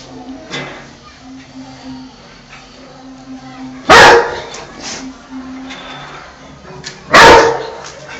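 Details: A Rottweiler, scared of and fighting with an insect, gives two deep, explosive barks a few seconds apart over a low background hum.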